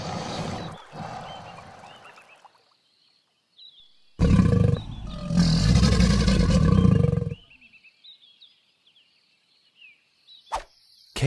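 An alligator gives a deep, rumbling bellow lasting about three seconds, with small birds chirping in the background.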